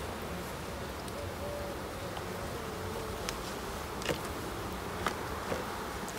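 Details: Large, populous honey bee colonies at an end-of-summer inspection on 22 September: a soft, constant buzz of many bees, short gliding flight tones, and a few light clicks.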